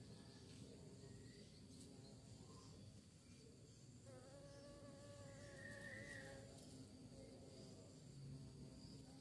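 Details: Buzzing of bees described as searching for prey. A layered, wavering drone rises in pitch partway through, then dips as the insects seem to pass nearer and farther over a constant low hum.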